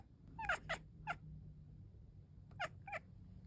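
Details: Cat chirping: short bright chirps in two quick clusters, three then two, separated by a pause, over a faint low hum.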